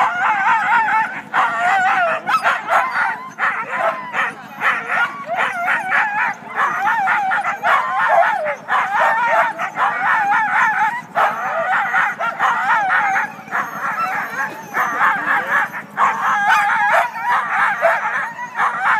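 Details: Siberian huskies, first team of the day at sled dog races north of Weed, California, on February 9, make an excited racket before the start; rapid overlapping yelps, barks and short wavering howls continue unbroken with a low hum beneath.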